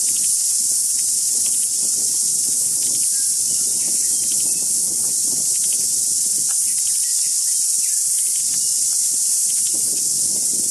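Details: Loud cicadas singing on trees, a continuous piercing drone of unchanging strength, with faint bird notes and soft rustling beneath the chorus.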